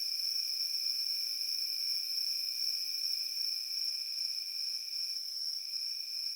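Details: Crickets in a field give a steady, shrill, high-pitched ringing that never breaks, with a fainter lower tone beneath that drops out briefly near the end; no other sounds intrude.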